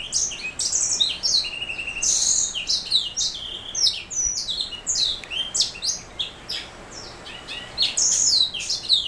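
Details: A canary-hybrid black throat mule delivers a long, dense warbling song of quick high chirps, descending slurs and buzzy trills. It goes on almost without pause, and the room is otherwise quiet.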